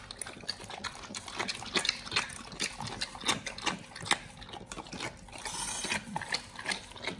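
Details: Pit Bulls eating a raw-fed BARF meal of raw beef shank with cow liver, green tripe and duck wings, recorded close up as ASMR: dense, irregular wet crunching and tearing clicks, several per second, with moist smacking between bites.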